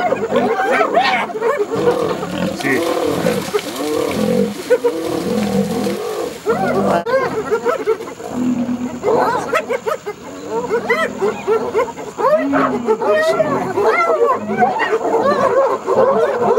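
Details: Lioness and her adolescent cubs under a vicious attack by hyenas in Hwange National Park: harsh growls and snarls in rapid, overlapping bursts, with higher arched yelping calls from the fight mixed in.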